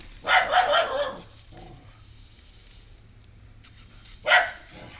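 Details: Female house dog reacting to a stray puppy newly brought home, barking at him; a quick volley of rough barks, a long quiet gap, then a single loud bark.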